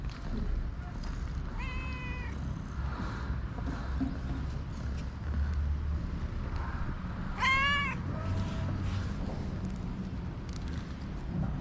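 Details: Hungry street cats in Morocco giving two meows about six seconds apart, the first moderate and level, the second louder, higher and sharply arched, amid low outdoor street rumble and scattered clicks.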